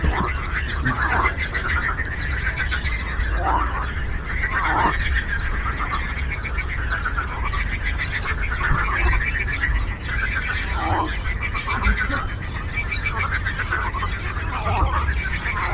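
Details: Many frogs croak together on a lake, their buzzy, rapidly pulsed calls overlapping into a continuous chorus, with occasional short high chirps and a low rumbling background.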